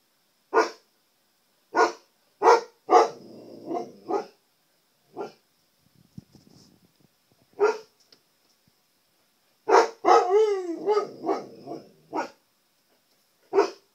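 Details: Siberian Husky barking at his reflection on a TV screen at home; loud single barks every second or so, a pause with faint shuffling, then a burst with a wavering yowl and more barks.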